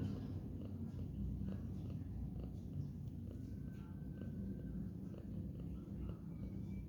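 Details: Resting cat lounging at midday, a steady low continuous purr rumbling throughout with a faint high whistle-like tone passing in the background.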